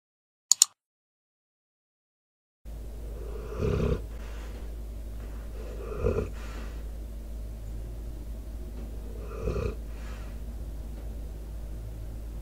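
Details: Debo, a four-year-old American Staffordshire Terrier/Pitbull, snoring and breathing while asleep into a microphone with outdoor sounds; after a brief click and silence, deep rasping snores come roughly every three seconds over a steady low hum.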